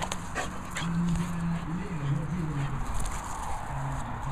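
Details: French Bulldogs playing and larking around; a long wavering whine, then softer whimpers, with a person talking nearby.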